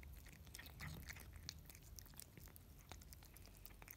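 A Russian Blue cat chews wet food, with rapid, irregular wet clicks and smacking sounds.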